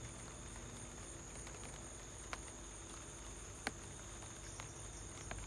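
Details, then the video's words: Cricket calling at home during light rain: a steady, unbroken high trill runs throughout, with scattered soft drips and taps of rain over a low background rumble. "light rain + cricket sound"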